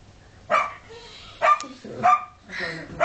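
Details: Female collie cross barking to be let inside the house: five sharp, harmonic barks, spaced roughly half a second to a second apart, with short gaps of quiet between them.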